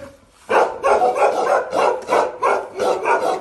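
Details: Aggressive Bakarwal protection dogs barking: after a short quiet start, loud rough barks follow one another about every third of a second.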